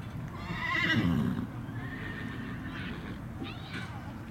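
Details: Black 12-year-old Tennessee Walking Horse mare, ridden, gives a short wavering whinny lasting about a second, quavering up and down, followed by softer trailing neighs and a low background rumble.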